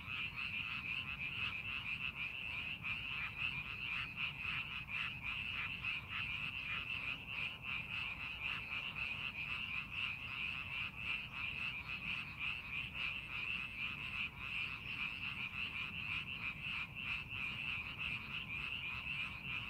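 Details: Massed frogs call from paddies under farming preparation. A thick, pulsing chorus of rapid croaks carries on without pause, trilling and steady, over a low rumble.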